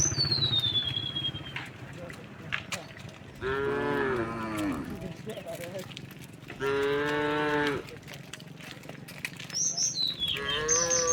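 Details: Dozens of tame cows walking along a quiet country road through green countryside, moos echoing. Two drawn-out, deep moos rise then fall, each about a second long, with thin descending bird whistles at the start and end.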